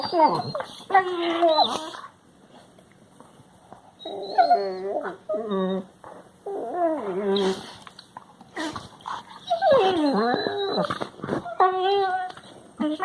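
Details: Labrador Retriever puppies give drawn-out, wavering whines and yowls that bend up and down in pitch, recorded March 16, 2020.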